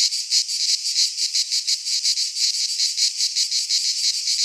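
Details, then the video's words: Midsummer cicada chorus from a pine forest in Greece, a shrill rasping buzz throbbing in quick regular pulses, nearly three per second, steady in loudness throughout. "Cicadas singing in midsummer"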